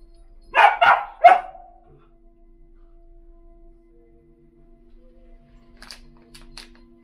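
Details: Standard poodles in Sun Valley, Idaho, from a family of poodle sisters in Ketchum: three sharp barks in quick succession, then quiet with a steady low hum and a few faint clicks.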